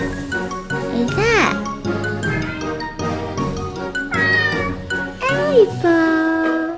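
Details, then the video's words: Domestic cat producing odd sounds other than chattering: several rising-then-falling meows, one ending in a long level tone, set against continuous cheerful background music. "채터링도 아닌 이상한 소리를 내는 고양이 울음 해석"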